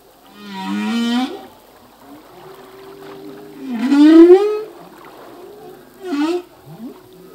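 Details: Song of a male humpback whale: three upswept wailing units with buzzy overtones, the middle one loudest and longest, joined by a steady low drone and a brief chirp near the end.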